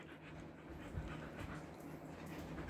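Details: Siberian Husky panting in summer heat in Kolkata, India, after a body trim; soft, steady breathy rasps with no clear beat, over a low constant hum.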